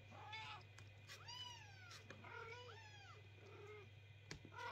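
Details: Kittens crying at night while the owners try to sleep: three or four clear, drawn-out meows, each arching upward and sliding down, over a steady low hum, ending with a sharp knock.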